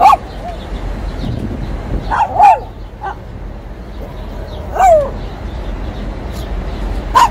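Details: Shih Tzu barking in short, high, yappy bursts: a quick double bark early on, then single barks every two to three seconds. A constant low background hum runs underneath.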